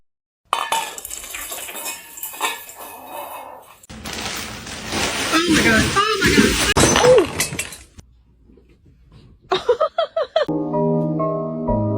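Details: Speech over clinking cutlery and dishes, then a loud crash of breaking glass and pans, followed by sharp knocks and a short stretch of music.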